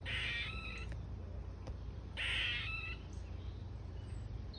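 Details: Squirrel calling from an ash tree in a garden: two harsh, rasping bursts, each lasting under a second and spaced about two seconds apart, over a constant low hum.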